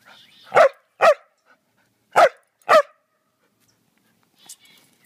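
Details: Samoyed named Jasper barking while playing fetch on a spring evening: four strong, broad barks in two pairs, roughly half a second apart within each pair, followed by quiet and a faint high sound near the end.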